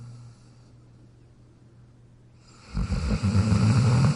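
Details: Pet dog Jack asleep in his dog bed, near-silent at first, then a loud low snore rattling in at the end.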